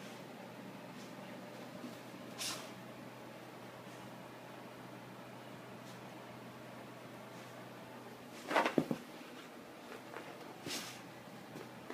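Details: A quiet indoor room with a steady low hum, broken by a few sharp knocks and rattles like a cupboard door, and no animal voice.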